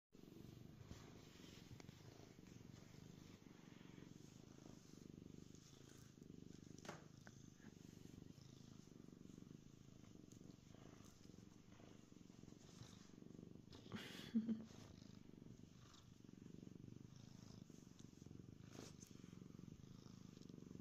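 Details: Pearl, a pet cat, purrs happily after being let down onto the cool concrete basement floor; a steady low rumbling purr runs unbroken through the whole recording, with a few soft clicks and rustles from movement.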